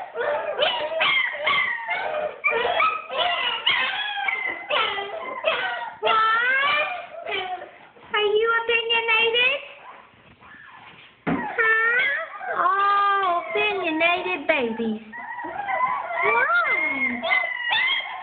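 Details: German Shepherd puppies from Bella and Blitz, upset at being locked in the whelping bed while their room is cleaned, cry together indoors: overlapping high whines and yelps, rising and falling, almost continuous with one short lull.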